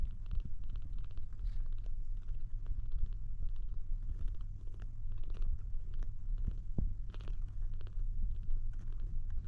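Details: Low, continuous purr from a kitten trying to drink milk, a rumbling drone broken by brief sharp clicks at irregular moments.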